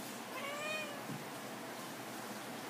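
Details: A pet cat on a dining table indoors, talking back when told to get off, gives one short rising-falling meow amid room noise and a person's commands.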